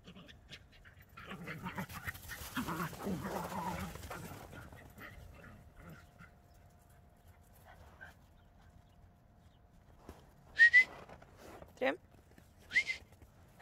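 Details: Playful Border Collie and Jack Russell Terrier chasing each other in snow: a stretch of rustling and panting, then three short, high whining yelps near the end, separated by brief pauses.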